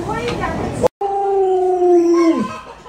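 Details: A brief noisy moment and a sharp cut, then Luoluo, a pet Alaskan Malamute spoiled by grandma, holds one level, drawn-out howl that drops sharply at the end.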